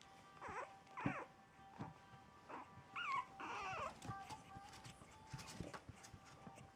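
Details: French Bulldog puppies, four weeks old, exploring on their first few hours away from their mother, give thin, high whines that bend up and down, a few separate cries spread across several seconds over a steady faint hum.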